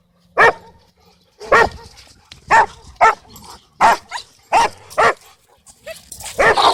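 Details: Dog park scene: a Cane Corso tries to dominate while Bodhi interrupts. Sharp, loud single barks come in an irregular series, mostly half a second to a second apart, with a rougher burst of barking at the end.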